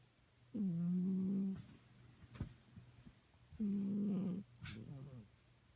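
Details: Sleeping pet cat snoring: two long, steady, nasal drones about a second each, spaced three seconds apart, with soft breathy sounds and faint clicks between them over a low background hum.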